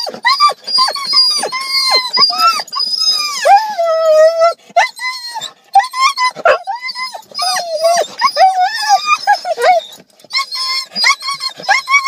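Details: Siberian Huskies excited on arriving at a dog park: long wavering howls and yodelling whines that rise and fall, broken by short yips, with a person talking over them.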